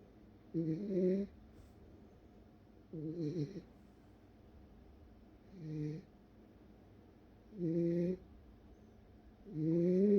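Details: Welsh Corgi fast asleep, snoring in five low rasping bursts about every two seconds, each with a buzzy harmonic drone and a faint hiss above, quiet pauses between.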